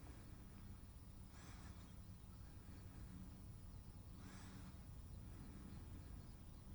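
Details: Two quick airy sneezes from a pet cat, about three seconds apart, each a brief noisy burst standing out against a constant low rumbling background and a thin high-pitched tone.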